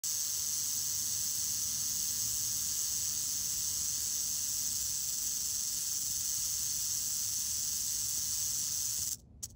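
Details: A grumpy Mojave rattlesnake, just moved off a busy roadway, rattling: a steady, dense, hissing buzz held without a break for about nine seconds, then stopping abruptly.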